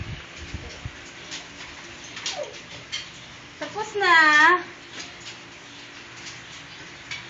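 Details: Puppies at milk time in a kennel, recorded February 24, 2014; one loud, high, harmonic whining yelp swells and wavers for about half a second midway, with softer squeaks and faint indoor rustling around it.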